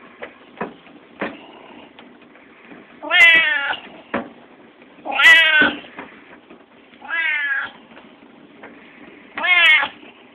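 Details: Lilac point Siamese cat on a treadmill in July 2014, giving four loud, drawn-out meows spaced about two seconds apart, each with a wavering, stacked harmonic tone, between soft clicks and knocks.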